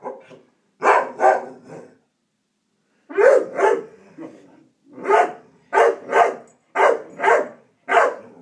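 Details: Bonnie, a pet puppy, gives loud, sharp yapping barks, mostly in pairs with brief pauses between, around a dozen barks across the stretch, with nothing else heard.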